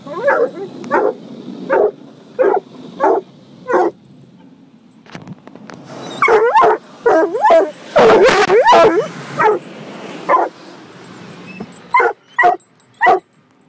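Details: Gunner, a coonhound mix, barks at a car wash to protect his family: short loud barks repeated about once a second, then a dense burst of overlapping yelping barks in the middle, with quieter barks again toward the end.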